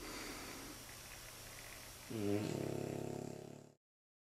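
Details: Sleeping French Bulldog puppies, nine weeks and nine months old, resting in their basket; quiet breathing, then one rough buzzing snore lasting about a second and a half before the recording cuts off.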